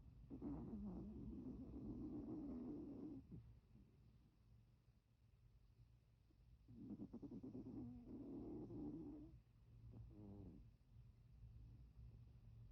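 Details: Milton the Chihuahua sleeps, eye twitching, snoring in two long whistling, nasal breaths about three seconds each, separated by a quiet pause, then a shorter fluttering snore, all over a soft low household hum.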